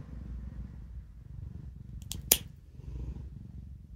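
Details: Indoor cat that dislikes having its claws clipped, heard while a person trims them; a quiet, steady low throbbing purr runs throughout, broken by sharp clicks of the clippers midway.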